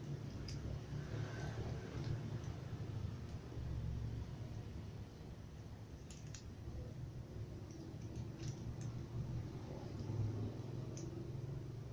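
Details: A steady low rumble fills a small indoor space, with a few faint high clicks scattered throughout and no animal voice.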